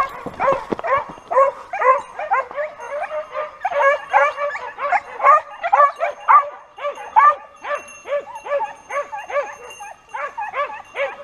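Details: Hunting dogs in full cry chasing a wild boar toward a hunter's stand: dense, overlapping yelping barks from several dogs, continuous and fast with no pauses.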